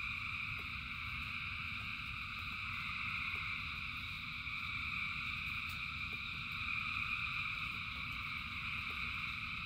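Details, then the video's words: Thousands of frogs in rainfall produce a seamless high-pitched trilling chorus in layered tones, swelling slightly midway, backed by low steady rumble and light irregular ticking. "Frogs in Rain 2 Hours of Frogs, Thousands of Frogs Singing"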